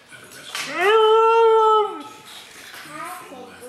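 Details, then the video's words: A female Siberian Husky, encouraged by her owner to "sing", gives a rising, drawn-out howl that holds steady, then drops away. "Mishka the Talking Husky Sings a Song!"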